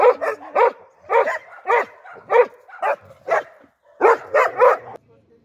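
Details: A dog barks steadily, about a dozen short, harsh barks in five seconds, mostly at regular intervals with one brief gap before a final rapid trio, plus faint low background noise between barks.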